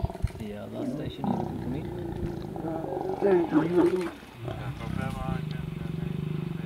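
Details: Male lion mating with a breakaway lioness of the Ross Pride: deep, rasping growls and snarls building to a loud guttural peak, then low rumbling, with a vehicle engine idling underneath.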